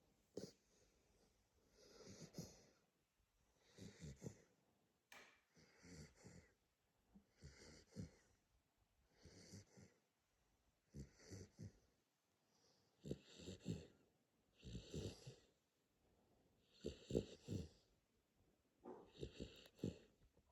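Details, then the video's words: Sleeping Corgi snoring indoors in a quiet room: rhythmic, rough, wheezy breaths repeat about every one and a half seconds, each a raspy snort with a breathy hiss, steady throughout. "Храпящий корги"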